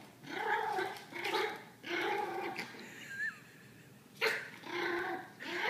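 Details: Dog growling at another dog during his first playdate, recorded 24 April 2013: rough, voiced growls in bursts of about a second, repeated several times with short gaps, plus one brief high squeak midway.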